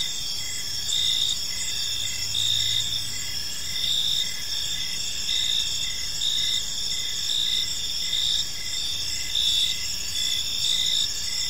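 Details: Park crickets chirping at evening, a continuous bright high trill with a lower chirp repeating in short even bursts, a brief faint low hum partway through, and steady background noise.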